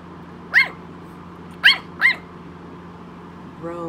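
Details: Small Yorkshire Terrier yapping indoors, wanting to come up. Three shrill, clipped yaps about half a second apart, then a woman's voice begins at the end, over a faint background hum.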